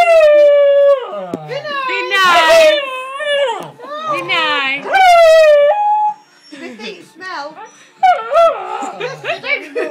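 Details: A female Border Collie 'sings', howling in long, wavering tones that slide up and down like a tuneless song.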